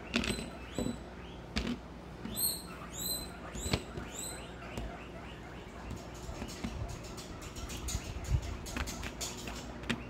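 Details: Guinea pigs of a herd at Comfort Cavies during supper-time feeding of a vegetable buffet. Several sharp upward-sweeping whistles crowd the first few seconds, then fade into scattered clicks, rustling and chewing noises.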